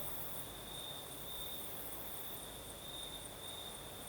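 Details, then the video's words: In Crimea's south at night, crickets keep up a constant high, ringing trill while a breeze blows; a higher faint pulsing layer rides above and a soft low rumble sits beneath. "Сверчки поют"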